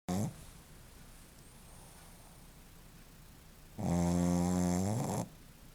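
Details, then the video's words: A Shih Tzu dog snoring in a quiet indoor setting. A short snort opens the recording. After a few seconds of near silence, one long, droning, nasal snore with strong layered tones lasts about a second and a half. "Shih-tzu roncando"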